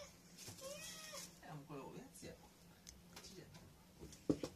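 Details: An Abyssinian cat seeks affection from its owner in the morning indoors, giving drawn-out, wavering meows over a low indoor hum; recorded 22 December 2018.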